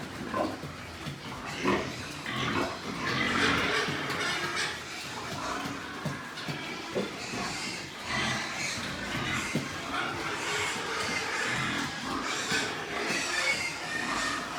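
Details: White pigs at a pig farm in Nepal, with broadband grunting and squealing bursts spread through a busy, noisy pen, several animals calling over one another.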